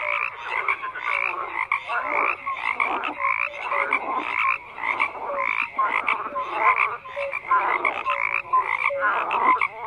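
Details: Many frogs calling together, raspy croaks in bursts roughly every half second, interleaved with brief clear piping notes, forming a thick unbroken chorus.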